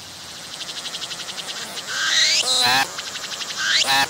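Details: A cicada singing close up on a tree. Rapid ticking pulses build, then a rising whine swells into a loud rasping burst. Another pulsed run leads into a second sweep and burst.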